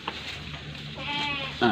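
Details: Goat being inspected as a candidate for the aqiqah sacrifice, its teeth checked by handlers; a wavering, harmonic bleat rises near the end while men talk close by.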